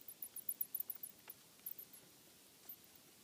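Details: Bats in an attic, inspected for noise in the home. A fast cluster of sharp, very high squeaks in the first second thins out to a few isolated chirps, then near silence.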